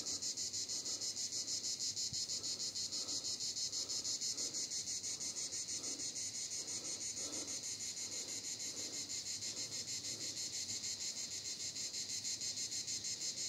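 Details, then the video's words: Vidauban, France, 2024: cicadas singing together in a dense, high-pitched rasping drone that throbs evenly about three times a second, with soft low rumbling beneath. "cigales Vidauban 2024"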